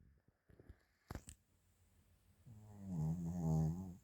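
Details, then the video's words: Chiroru, a Maltese-Shih Tzu mix, snores while asleep indoors, recorded 8 February 2025: a few soft clicks and rustles first, then a low, rough, droning snore swelling over the final second and a half. "マルシーズー ちろる いびき"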